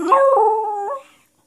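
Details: Cold female corgi, wanting cuddles and a spot on a crowded couch, has an indoor vocal meltdown: a single drawn-out whining howl, slightly falling then rising at the end, lasting about one second before silence.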